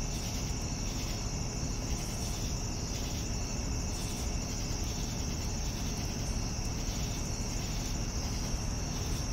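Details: Evening crickets trilling: a steady high, thin ringing tone with softer pulsed chirps repeating roughly every second, over a constant low rumble.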